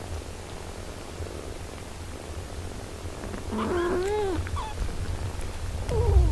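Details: Mother cat caring for her six-day-old kittens; after a quiet stretch, a short wavering mew rises and falls near the four-second mark, with another thin mew at the end over a low steady hum.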